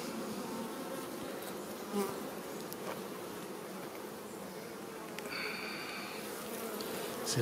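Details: Honey bees of a newly created colony buzzing while a beekeeper inspects the hive; continuous low humming swarm sound with a few brief clicks and knocks of handling and a short tonal whine near the end.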